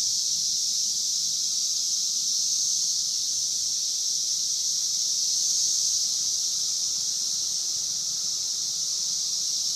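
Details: Brood XVII periodical cicadas (Magicicada) in a 17-year emergence at Logan, Ohio; a dense, unbroken high-pitched whine from many insects, swelling slightly and holding steady throughout.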